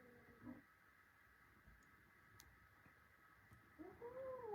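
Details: During a scuffle between a small cat and his grown brothers, a short yowl fragment opens and a rising, arching moan closes the stretch, with quiet rustling in between.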